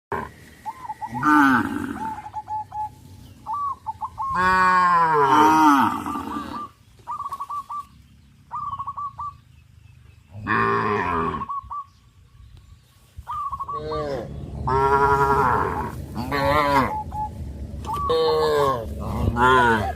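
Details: Tame cows crowding around fields, running and jumping for joy; long loud harmonic moos with falling pitch come in bursts, interspersed with short repeated high honking notes from other animals.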